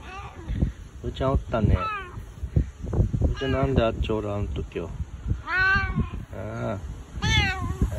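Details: Husky, affectionate meows from Bu-chan, a boss domestic cat who nuzzles up to a person, far clingier than usual with no other cats nearby; several rising-falling meows, the clearest near the end, mixed with human speech.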